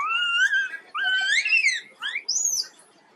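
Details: Poorly baby monkey named Quinton crying: four drawn-out, wailing calls in quick succession, each rising then sliding down, the last one thinner and much higher pitched, in a quiet indoor setting.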